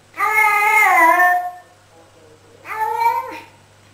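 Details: Pet cat in a comedy compilation gives two loud meows: a long first call that rises and then slides down, and a shorter second call after a pause, with a low steady hum underneath.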